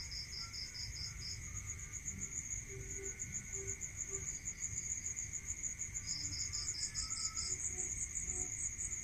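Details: Night-time crickets in the countryside: continuous rapid high-pitched chirping with a second insect's beaded trills starting and stopping, a few faint low notes scattered through, and a steady whine underneath.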